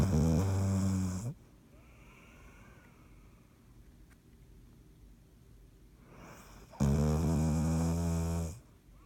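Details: Dottie, a sleeping dog, snoring on 16 March 2019: two loud, low rumbling snores with layered harmonics, each over a second long and about five seconds apart, with quiet breathing between.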